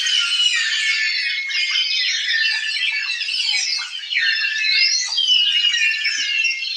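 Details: Long-finned pilot whales off Iceland, recorded underwater as they approach killer whales, fill the water with a dense chorus of overlapping whistles, a real underwater cacophony.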